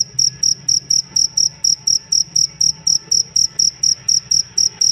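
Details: Cricket serving as master song for songbirds, giving clear, high-pitched chirps in a quick steady pulse of about four per second, a soft low background drone behind.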